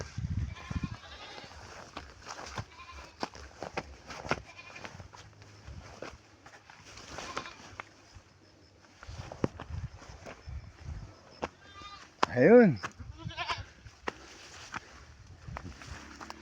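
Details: Domestic goats, kept by their owner, bleat as he arrives with fodder while drizzle falls and dusk sets in; one loud, wavering bleat stands out late amid soft rustling and faint background noise.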